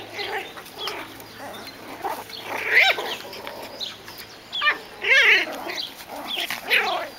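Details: Seven-week-old Biewer Yorkshire Terrier puppies at a breeder's kennel, learning balance on a pond bridge and a swing. High, whining yelps rise and fall in short bursts, several close together, over faint background chirping.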